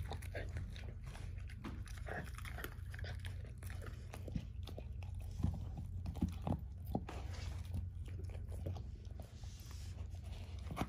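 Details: A 13-year-old German Shorthaired Pointer named Ava gnaws a dehydrated turkey wing at breakfast, her first one. Dense, rapid crunching and biting clicks run throughout, backed by a constant low indoor hum.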